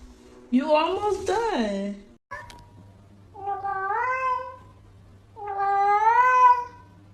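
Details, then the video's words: Domestic cat meowing in a talkative way: a rough, warbling two-part call, then two longer rising-and-falling meows spaced about two seconds apart, with a quiet low hum underneath. "Talking Cats Like Human || Sounds More Cute"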